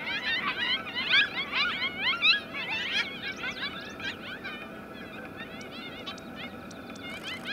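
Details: Coyote pups, a litter of five, howl back after their mother returns and calls. Loud, quavering yips and short howls crowd the first three seconds, then fade into softer, scattered wavering calls.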